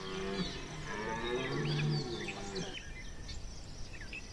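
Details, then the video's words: Red deer stag bellowing in the rut at Chambord in September 2021, a drawn-out, deep, grating roar lasting nearly three seconds, with small birds twittering throughout and fading into calmer background. "brame du Cerf"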